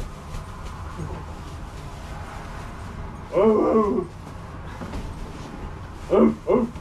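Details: Loki and Bandit, two pet Siberian huskies, playing with a stuffed husky at home: a quiet stretch of room noise and faint speech, then a half-second warbling howl and a pair of short yodel-like calls near the end.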